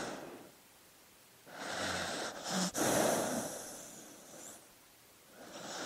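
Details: A dog asleep breathes noisily, with two long, hissing breaths and a short snort in between, each separated by quiet pauses.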